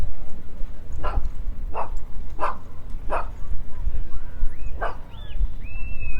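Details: Dogs playing in the off-leash area of Trinity Bellwoods Park, an urban downtown park in Toronto, in spring: five sharp barks spaced about a second apart, then a pause and one more, over low city rumble and a few thin whistled tones near the end.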